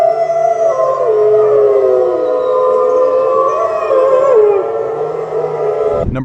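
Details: Grey wolf howl: a loud, wavering, slowly falling howl over a dense, droning wash of background sound. It ends with a short thump.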